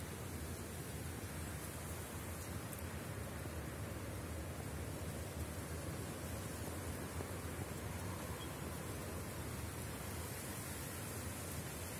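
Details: Steady, broadband outdoor hiss like wind or distant traffic continues throughout, with no animal sounds.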